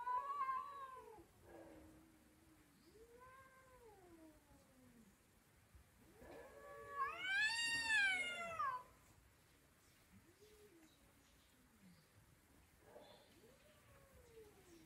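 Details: Domestic cat talking in repeated meows of varying length, mostly soft and arching in pitch, with one loud, long, harmonic yowl in the middle.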